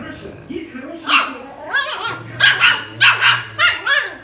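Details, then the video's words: Squabbling Griffon and Rottweiler: after a soft whine, sharp barks come in a rapid run of about six over two seconds, with a person's voice underneath. "Разборки Гриффона и ротвейлера"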